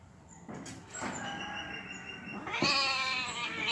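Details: Angry cat in a fight, giving drawn-out, strongly harmonic yowls that start with short bursts, then hold a wavering tone and climb into a loud, shrill wail near the end.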